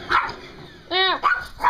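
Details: A dog barking at a vacuum cleaner, which it confronts and attacks rather than running away. One tonal bark with rich harmonics, slightly falling at the end, comes mid-clip between short bursts of a person's voice.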